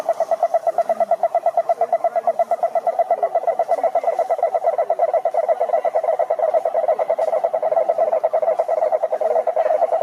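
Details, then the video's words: Dense chorus of numerous frogs at a pond, loud, fast and very regular pulsed croaking sustained for ten seconds, with layered higher harmonics. "Sapos Cantando na Lagoa"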